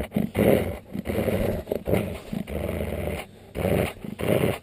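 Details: Husky, alsatian and Alaskan malamute cross dog grumbling when annoyed by its owner; loud rough throaty growls in uneven bursts, some rising into whiny grumbles, with short pauses between.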